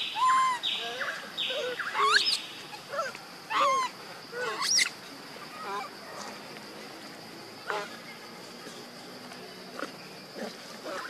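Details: Baby monkey missing its mother, high squealing cries with sharp rising and falling whistled notes, clustered in the first five seconds, then fainter scattered calls over a steady background hum.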